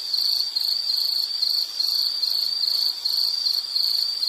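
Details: Insect chirping, a steady high trill in pulsed bursts roughly every half second, continuous throughout, used as calming nature background; no other sounds clear.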